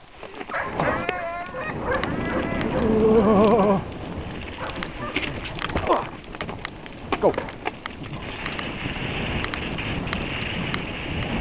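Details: Dogs Yolan and Adora at a bikejoring training freerun in Sowinki on 6 January 2015, giving wavering, high whining howls for about three seconds, mixed with a person's shouted commands, then wind and movement noise.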